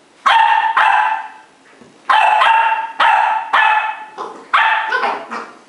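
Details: Fos and Ebo, Cardigan Welsh Corgi puppy siblings aged 10 weeks in Adelaide, South Australia, during play fighting: loud, sharp yappy barks, some doubled, each with a ringing tail, about six in under six seconds.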